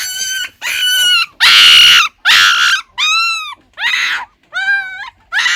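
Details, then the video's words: Crying puppy giving loud, harsh, strained wails. Some cries are raspy and some are clear and tonal, with steady pauses between them, about one cry per second. "Puppy Crying Sound Effect"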